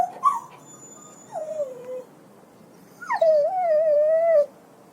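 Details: Whimpering puppy yelps: a short wavering cry, a falling whine, then after a gap a longer high yelp that dips and holds before cutting off, over faint background hiss.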